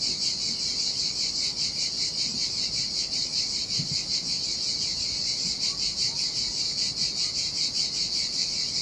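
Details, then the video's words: .Cicadas singing in the summer heat beside the Sardinian sea on a deserted sandy beach: a steady, high, shrill buzzing that throbs in regular pulses about two or three times a second, with a faint wash of surf underneath. "Ocean Waves & Cicada Sounds"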